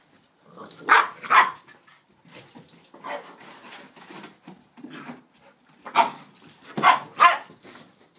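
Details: A one-year-old Rhodesian and an eight-week-old Shepherd/Rottweiler pup playing: short sharp barks and yips come in pairs, with quieter growly mutters between the louder bursts.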